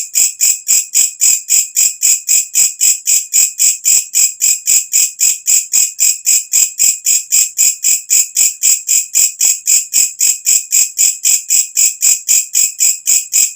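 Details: Katydid known locally as walang kecek, calling at night, used as a tutor recording for cage birds; a piercing, very high buzzy pulse repeated about four times a second in an unbroken, metronome-like rhythm, nothing else audible.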